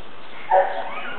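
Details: Rottweiler named Paco, a one-year-old male, working with a dog trainer in 2010 during attack command training. One short, sharp bark stands out over a steady background hiss.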